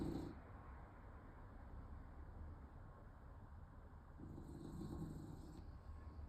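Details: A French Bulldog in Odessa, Ukraine, on 20 August 2024 snores with a low, rasping rumble that swells into a louder wheezing whine likened to an air-defence siren.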